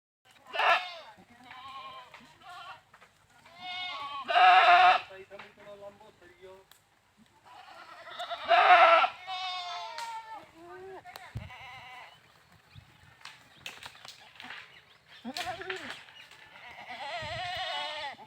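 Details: Goats (bakra) on an Indian goat farm bleating repeatedly: several loud, harsh, quavering bleats of about a second each, spaced a few seconds apart, with softer calls and voices of other goats in between.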